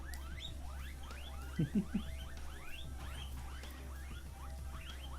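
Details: Hungry guinea pigs wheek in quick, rising squeals repeated several times a second, calling for food.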